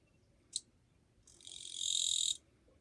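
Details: Katydid recorded 2 July 2023, its song described as fairly quiet: a sharp click, then after a short pause a rising, raspy buzz lasting about a second before stopping abruptly.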